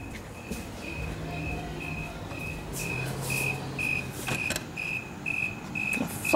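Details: A loud cricket hidden indoors near a window chirps steadily, each short clear mid-high pulse evenly spaced about twice a second, while a man talks and searches for it amid rustling and knocks.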